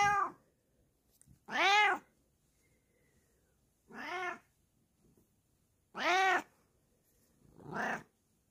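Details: Bengal cat hiding in a cozy spot indoors, giving five loud arched meows with rich harmonics, each about half a second long, spaced irregularly over eight seconds, the last one shorter and higher; quiet room between calls.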